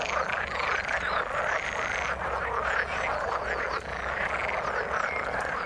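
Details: Croaking frogs in the water, a continuous mass of overlapping calls, with a long thin high tone in the first two seconds and scattered short chirps.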